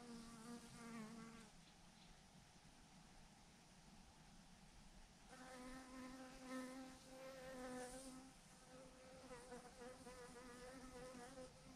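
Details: Thousands of honey bees hanging in a massive clump on a branch, a dense steady hum with individual bees passing close, their buzzing tones rising and fading in waves, strongest in the later seconds.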